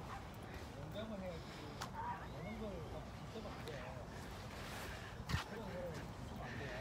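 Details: Pet dog out on a walk in fine weather, refusing to walk much; a series of short, arching whines rises and falls roughly every half second, mixed with quiet human talk and outdoor background noise.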